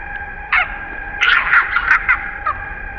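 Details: Baby monkey Jayden crying angrily and shaking his body as his mother stops him from milk: short harsh, rising-falling wails in bursts, a longer run of cries in the middle, over steady high droning tones.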